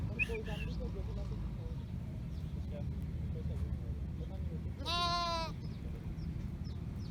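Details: Lamb calling for its mother sheep: a single strong quavering bleat near the fifth second, preceded by faint distant bleating and a steady low rumble.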